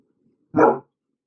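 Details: Single short, loud bark from Bruno, an untrained dog confused by a vacuum cleaner and protesting against it, in otherwise quiet surroundings with faint murmuring beforehand.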